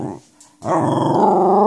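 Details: Female corgi, cold and wanting onto a crowded couch, grumbles back at her owner indoors; a brief pause, then a long, low, sustained rumbling vocalisation with steady harmonics, after coaxing speech.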